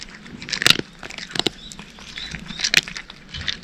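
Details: Short burst of a cat chewing dry cat food: three or four loud, brittle crunches spaced about a second apart, with quieter crackling in between.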